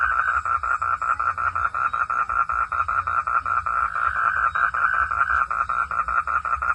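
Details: A frog calls during rain, giving a steady run of rapid, buzzy pulses in a mid-pitched tone, repeated several times a second.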